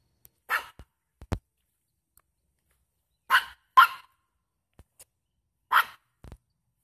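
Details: A feist dog gives sharp, loud barks, single and doubled, spaced a couple of seconds apart, in the morning while treeing a fox squirrel.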